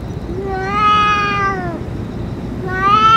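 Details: Stray boss cat after eating food and medicine; one long, level, strongly harmonic meow lasting about a second, followed by the start of another rising meow, over low ambient rumble.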